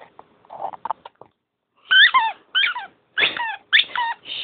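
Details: Dog playing at bedtime, giving a series of high, wavering whimpers and squeaky yelps in short bursts after softer rustling and snuffling at the start.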